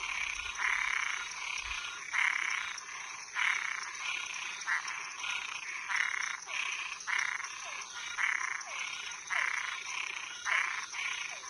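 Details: Frogs and tree frogs calling at night: a dense chorus of rasping, buzzy croaks in bursts about a second apart, with short downward-sliding notes between them and a steady high insect-like hum behind.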